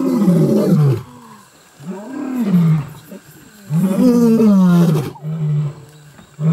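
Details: Wild Mapogo lions in the bush-veld give loud, deep roars, each a long groaning call falling in pitch, three main bursts with softer rumbling between them.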